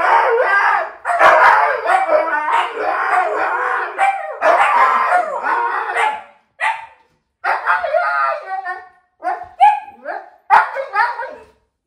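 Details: Several Siberian huskies raise a commotion when dad comes home after hearing the garage; long bouts of wavering howl-talk and barks, then shorter separated yelps and whines toward the end.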